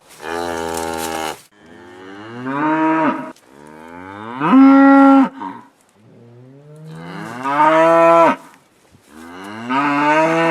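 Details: Cows on pasture moo in turn, long droning calls that rise in pitch and then hold steady.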